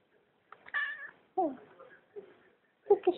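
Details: Pet cat at home making its own vocal comments when asked something by its owner: a short series of wavering, drawn-out meows with brief chirpy calls, quiet between, and two sharp meows at the end.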